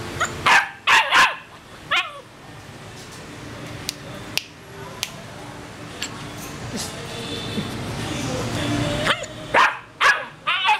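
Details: Purebred male Rottweiler in Saigon, Vietnam: two quick bursts of loud, harsh barks near the start, a quieter stretch with faint background noise and clicks, then a further run of sharp barks at the end.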